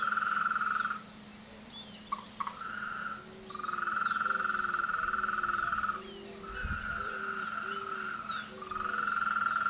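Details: Mating-season frog chorus in bursts: rapid pulsed trills lasting two to three seconds separated by brief pauses, while lower short croaks repeat in the gaps and a thud sounds near the end.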